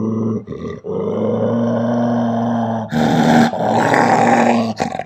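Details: Angry Belgian Malinois female, unprovoked, giving a continuous deep rumbling growl that swells louder and rougher after three seconds, with short breath pauses between growl phrases.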